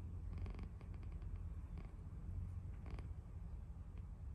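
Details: Sleeping cat snoring: a steady, deep, low rumble runs throughout, with a few soft brief clicks and rustles on top.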